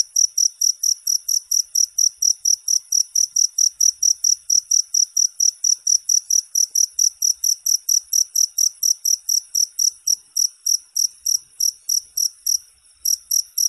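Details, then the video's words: Continuous cricket chirping for falling asleep: bright, high-pitched pulses in an even train, roughly three per second, with one brief break near the end and an otherwise quiet background. "Suara Jangkrik 10 Jam Non Stop"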